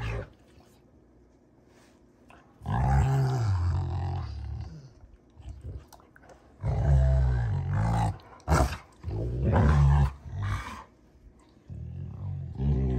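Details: Two Rottweilers play fighting on a ranch: deep, rumbling growls and snarls in long bursts of one to two seconds, broken by short pauses and sharp scuffling sounds.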